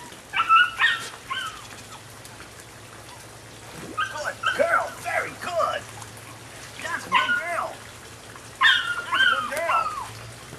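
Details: Female Rodin/Katana puppy, nine weeks old, lets out four bursts of quick, high yips and whimpers, each cluster about a second long and separated by quiet gaps, with faint background hum.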